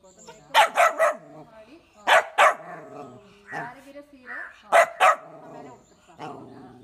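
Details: Pomeranian dog giving quick paired and tripled high yapping barks in three bursts, separated by quieter whines and murmurs.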